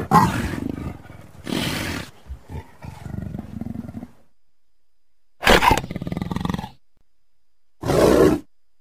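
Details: Leopard (Panthera pardus) gives harsh, rasping roars in short bursts separated by pauses.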